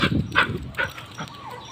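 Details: Labrador retriever outdoors in the morning, taken out to relieve itself: a few short, sharp barks in quick succession over the first second, then quieter trailing sounds.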